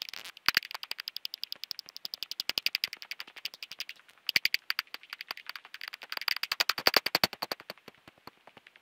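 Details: Common pipistrelle echolocation calls, heard as rapid dry ticking pulses, several per second, in long runs with a brief pause near the middle.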